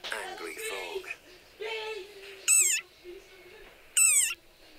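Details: After a stretch of human speech, a desert rain frog gives two loud, shrill squeaks, each sliding downward, described as the war cry of a very angry frog.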